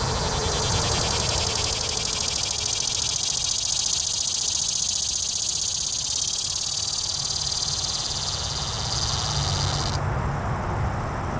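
A cicada sings a loud, continuous, high-pitched buzzing drone that cuts off abruptly near the end.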